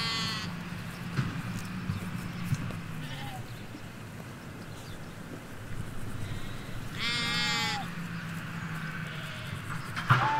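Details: Hampshire field of ewes and lambs, stereo M5 microphones along a hedge: a brief bleat at the start, then one strong quavering bleat later, over low rumbling traffic-like background and a faint distant bird note.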